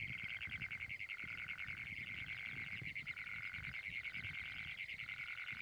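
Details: A Great Plains toad (Anaxyrus cognatus) gives a loud, harsh, metallic trill call that runs on almost without pause.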